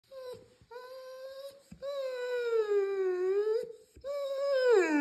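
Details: Irish Setter howling indoors in a small room. Drawn-out, tonal, rich-harmonic notes hold steady, then sag slightly. Short breaths separate them, and the final note slides sharply downward.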